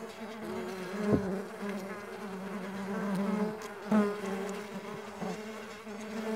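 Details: Flying Mandaçaia stingless bees give a continuous low buzzing hum of several overlapping tones, broken by sharp clicks or taps about every one to three seconds.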